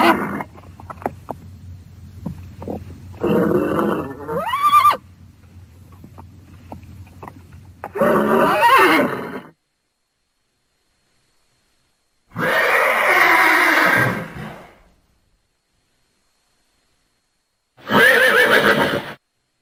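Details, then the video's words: Horse whinnying four times over about twenty seconds, each call a shaky, quavering neigh lasting one to two seconds, with near silence between calls and faint rustling early on. "horses sounds"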